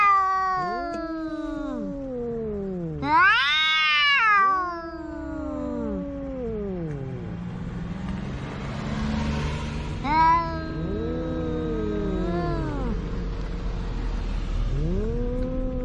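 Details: Quarrelling pet cats facing off at home, trading long wavering caterwauls that swoop up and fall away, one voice higher and sharper, the other low and moaning, with a steady low background rumble.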